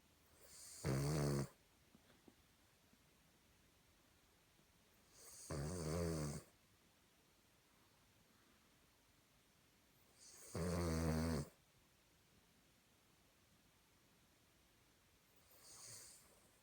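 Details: A sleeping Cavalier King Charles Spaniel snores like a person, with loud harsh rasping breaths roughly every five seconds, each lasting about a second, in a quiet indoor setting.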